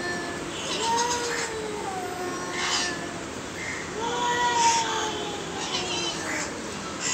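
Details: Two aggressive cats trade arched, whining meows, four or five calls that rise then drop, one answering another, with light hiss and brief bursts of noise behind.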